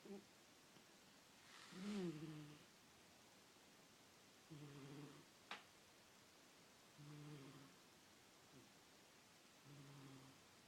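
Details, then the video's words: Pet cat named Miss asleep and snoring: four low, buzzing breaths spaced two to three seconds apart, the first louder and slightly rising, plus one sharp tap in the background. "Miss snores"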